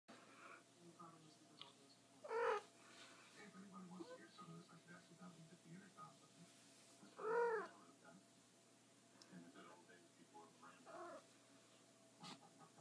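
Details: Female house cat that hardly ever meows and instead trills and trumpets, giving two short rolled, rising-falling trills about five seconds apart indoors, with soft human speech and room noise between.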